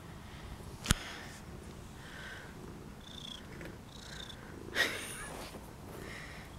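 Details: Semi-friendly feral cat, fed by a person, gives a low, steady, continuous purr throughout, with a few faint higher chirps and two sharp clicks in the background.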